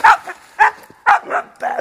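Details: Aggressive 6.5-month-old Doberman-type Pinscher guarding and agitated by a man; rapid harsh barks, five within two seconds, clipped and forceful.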